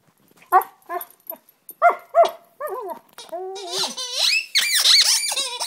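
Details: Delta, a Siberian Husky, performs her singing on 17 January 2011. A few short separate whines start things off, then they build into continuous rising and falling yowls that grow louder and higher toward the end.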